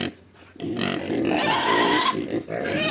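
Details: Two-week-old native piglets squeal loudly while being fed, a drawn-out harmonic cry rising slightly then falling over about two seconds, with a voice speaking over the noise.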